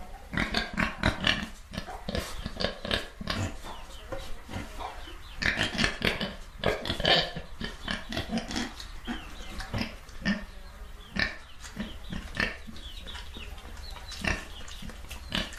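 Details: A crowd of pigs grunting continuously, short punchy oinks tumbling over one another with occasional higher squeals.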